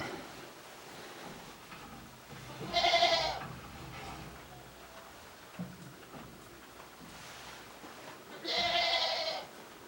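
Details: ['Goats in a shed, ruminating, on a Japanese goat farm, 29 January 2023; two bright, nasal bleats about six seconds apart over low background hiss and faint shuffling.']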